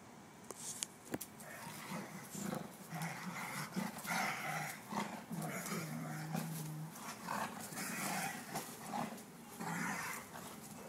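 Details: Two Portuguese Water Dogs, Mac and Uncle Sounder, just after a grooming session, growling low and steadily through the whole stretch amid scuffling and rustling noise, with one longer drawn-out growl near the middle.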